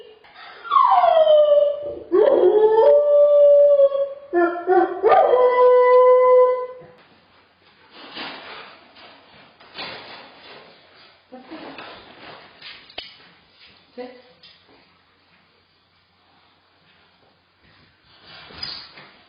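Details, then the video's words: Dog with separation anxiety left in a crate while the owner pretends to drive away: loud wavering whines and cries rising then falling for several seconds, then softer scratchy rustling and faint whimpers. "Helping a whining, crying dog overcome Separation Anxiety (SA)"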